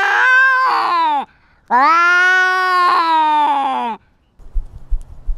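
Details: Domestic cat fighting and asserting dominance over its territory, wearing a GoPro: two long, wavering, nasal yowls, the first about a second, the second nearly two and a half seconds, with a short gap between, then faint low rustling.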